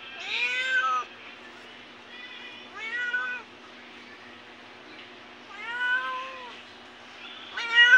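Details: Repeated cat meows, five short-to-medium calls spaced about one to two seconds apart. Each is arched and tonal with rich overtones, and the last is loudest and sharpest. A faint steady hum runs underneath.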